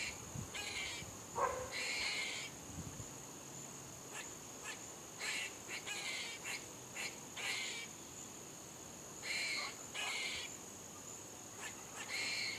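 A squirrel gives harsh, raspy barks in short bursts over a steady high insect drone.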